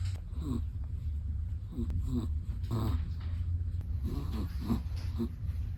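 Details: Chihuahua asleep and snoring, a run of low, wheezy, rumbling breaths about every second, soft throaty rattles over a steady low background hum in a quiet room.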